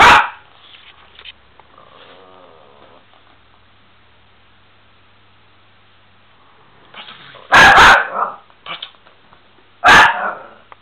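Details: A Miniature Pinscher named Bubi barks sharply, growls low and briefly, then after a quiet stretch lets out two more loud, harsh barks about two seconds apart, with light clicking sounds around them.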